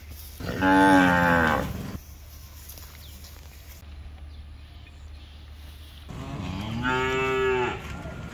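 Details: A cow among cows on the street, with a calf drinking milk, gives two long, harmonic moos, the second starting low and rising before it fades.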